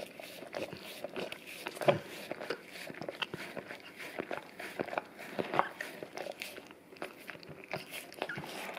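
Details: English cream golden retriever male working at a peanut-butter-coated Orapup brush taped to tile, cleaning his tongue; crunchy, scraping licks and sticky mouth clicks, irregular, in a small indoor room.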